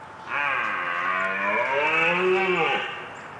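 A deer gives one long, moaning bellow lasting about two and a half seconds, rich and tonal, swelling slightly before it fades; no other sounds stand out.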